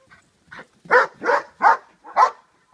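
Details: Che, a dog in Schutzhund protection training, barking during a hold and bark exercise; a short burst of loud, clipped barks at about two to three per second, opening with a few softer yips.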